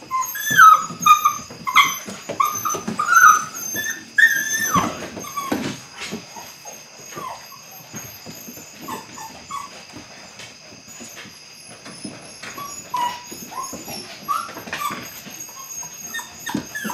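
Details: Belgian Malinois puppies, eight weeks old, starting bite work. Bursts of thin, wavering whimpers come early, then trail off into scattered softer whines and short yips amid clatter and movement noise.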